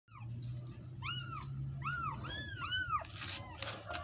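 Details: Cat meowing indoors, a series of short arched high meows, about five in quick succession, over a steady low hum and some background rustle.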